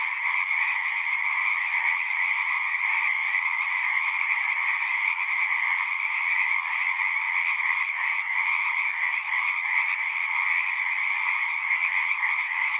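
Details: Constant frog chorus from a horse-pasture pond, Zoom recording: countless overlapping trills produce a seamless, shimmering drone in two pitched layers, uniform from start to end, with nothing else audible.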